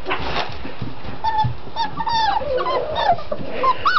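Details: Six-week-old puppies from the litter of Mystic and Rhino whimper: thin, high whines rising and falling, several overlapping, growing busier in the second half, with low shuffling and handling noise underneath.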